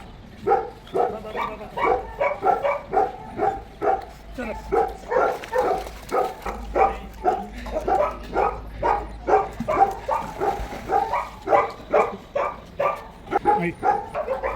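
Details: Daizy the Labrador Retriever swimming at a Bangalore pet resort and refusing to leave the pool, barking steadily about twice a second in a long run of short, even barks, with people talking in Malayalam.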